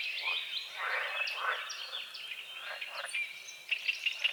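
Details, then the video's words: Frogs croaking at dawn over a small forest-edge lake with morning fog, a dense overlapping chorus of rasping croaks mixed with thin whistled bird notes and louder chirps near the end. "The sounds of morning frogs croaking"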